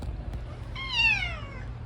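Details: Indoor domestic cat Odeuri, hoarse after dental extraction surgery, lets out a single descending meow lasting roughly a second, bright and harmonic, preceded by faint clicks and a constant low hum.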